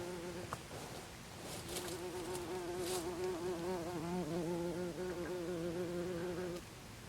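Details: Buff-tailed bumblebee in its nest after the dance, filmed 24 April 2021 at Olariaga, Zamudio, Bizkaia: a steady, low, humming buzz with strong overtones, slightly wavering, lasting several seconds before it stops.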